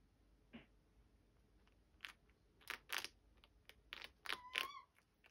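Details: A chinchilla gnaws dried beet pieces, making brittle, dry crunching clicks and crackles in uneven bursts that grow busier toward the end, with a brief thin squeak among the final bites in a quiet room.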